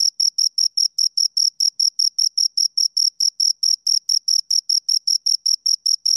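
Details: Steady cricket chirping from a pair of crickets: rapid, evenly spaced high-pitched pulses, around six per second, in otherwise silent surroundings.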